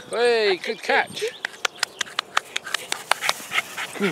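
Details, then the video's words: Arthur, a terrier cross dog up for adoption, playing with a ball: a high harmonic whining yelp in the first second, then a shorter whine, followed by quiet clicks and light taps. "Arthur - Terrier Cross"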